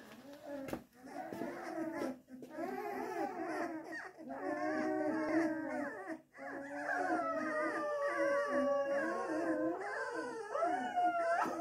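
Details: Springador puppies howling together, several overlapping wavering voices rising and falling, with long sustained tones and bending pitch sweeps layered over one another throughout, pausing briefly now and then.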